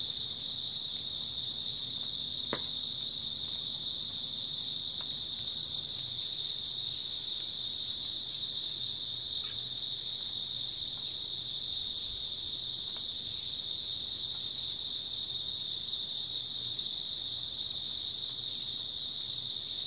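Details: A steady, high, shimmering trill from many grass insects on an early autumn night, even and constant throughout, with one brief click early on.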